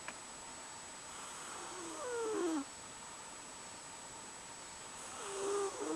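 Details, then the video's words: Nora, a cat, snoring while asleep: two drawn-out breaths about three seconds apart, each swelling then ending in a thin whistling tone that slides downward, over a quiet room with a faint steady high hum. "Nora snores"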